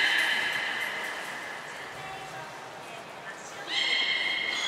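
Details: Belugas Mirai and Nico during training at Port of Nagoya Public Aquarium on 20 February 2021: a strong buzzy harmonic call fades out, a lull of soft background noise follows, then another bright harmonic call begins abruptly.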